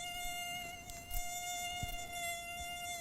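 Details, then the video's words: Mosquitoes, which enter houses and bite as evening falls, producing a steady continuous high whine with strong even overtones, with faint knocks in the background. "हाँ, बिल्कुल सही पहचाना आपने। ये तो है मच्छरों की आवाज़।"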